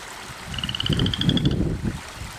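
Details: Loud frog calling from a backyard garden pond at 10:30 at night: one high, rapidly pulsed trill lasting about a second, rising a little in pitch, over rumbling low wind or handling noise and flowing water.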